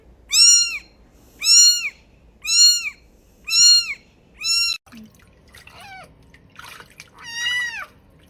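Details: A tiny kitten gives four evenly spaced, high arching meows about a second apart, then several quicker falling squeaks and a longer drawn-out meow, with light handling noise between calls.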